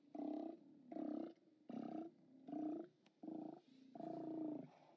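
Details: Steller sea lions hauled out at OrcaLab, seen on live cam on 29 October 2017, bellow in a string of six loud, harmonic roars, each under a second long, with rumbling between them.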